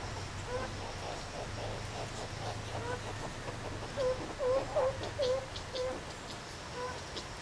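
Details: Zoo Rostock meerkats in Germany, recorded July 2014 with a Sony camcorder while the animals play and relax: a quick run of five short arched, low notes near the middle, then one faint note, over a murmuring background.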